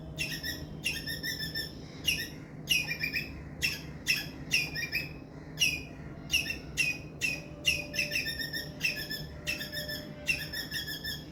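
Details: An Indian palm squirrel gives a loud distress call of sharp, high chirps in quick repeated bursts over a low background hum.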